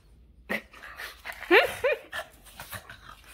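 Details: Boston terrier dog getting excited, letting out a quick burst of short, whiny, rising yelps and squeaky barks around the middle, with soft panting and snuffling between them in a quiet indoor setting.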